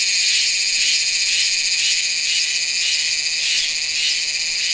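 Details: Meimuna iwasakii cicada singing in September at Nanzhuang, Taiwan, recorded with a Sony A7s3 and shotgun microphone: a dense, unbroken high buzzing drone with faint, soft pulsing along its length.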